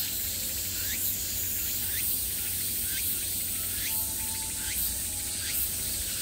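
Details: Summer cicada chorus sounding from all around, a continuous shrill buzz overlaid by short upward-swooping chirps repeating roughly every three-quarters of a second, with a faint low hum underneath.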